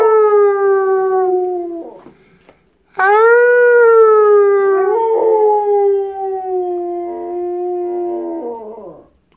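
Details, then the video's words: Pit bull named Marvin, a pet, howling along while its owner sings into a microphone indoors; a smooth sustained tonal howl for about two seconds, a brief silent gap, then a longer wavering, slowly falling howl lasting roughly six seconds. "Singing with my Pitbull."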